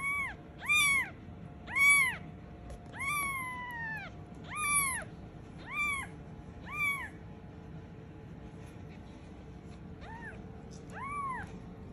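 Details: Scottish Fold kitten, black, calling for its mother: a run of clear, high, arched meows about once a second, each rising then falling, a pause, then one last meow; faint steady hum beneath.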